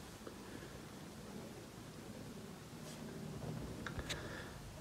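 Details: A quiet indoor room hum with soft rustling and a couple of faint ticks.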